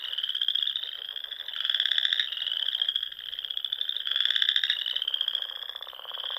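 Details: Many frogs singing at dusk in spring on ponds in Nebraska's Sandhills. A continuous high, reedy trill carries repeated pulsed rattling bursts, swelling roughly every two seconds, with no other sounds.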